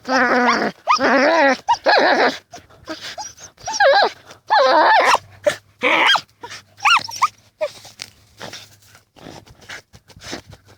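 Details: Dachshunds Tasya and Kessi out in a field in autumn 2015, busy digging: loud bursts of high, harmonic yapping barks and whining yelps, some rising and falling, come in quick runs with short gaps over about ten seconds.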